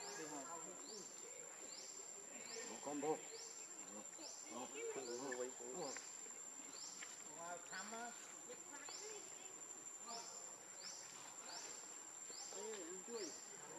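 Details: Baby monkey Leo crying while begging its mother for milk, hungry: arched, harmonic wailing cries rise and fall in short bursts, over repeated rasping insect chirps and a steady high-pitched whine.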